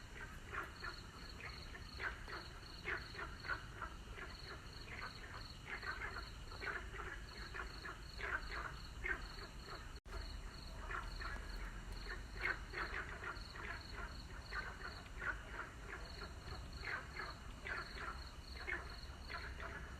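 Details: Frogs calling at sunset: a dense chorus of short, rapid croaks repeated continuously, with a steady high-pitched insect-like whine in the background.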